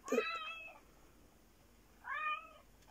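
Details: Black fluffy cat, called Japanese, meowing twice indoors: a short bright opening meow followed after a pause by a second falling, slightly nasal meow, with faint room noise between.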